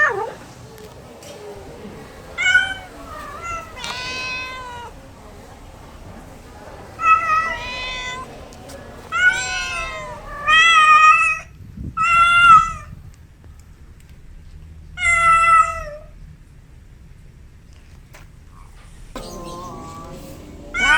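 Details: Pet cat meows used to call cats: a series of short, bright, wavering meows spaced a few seconds apart, some louder and some softer, with a quiet pause before a final rough call.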